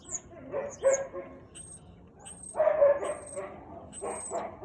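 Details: A Siberian Husky at 4:17 pm on 13 March 2021 gives a few loud, uneven barks and yowling vocal bursts.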